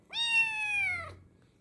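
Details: Hungry kitten at feeding time giving one loud, sustained, clear meow of about a second, steady in pitch then gently falling, rich in overtones, in a quiet room.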